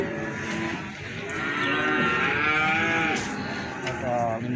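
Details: Cattle at the busy Plaosan livestock market in Magetan during selling: a long, swelling moo with rich overtones rises above the crowd's murmur, with clicks and knocks in the background.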